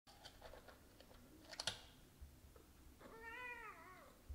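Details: Three cats, a tabby, a calico kitten and a brown-and-white tabby, waiting indoors for treats; soft taps and clicks, then one drawn-out, wavering meow falling at the end.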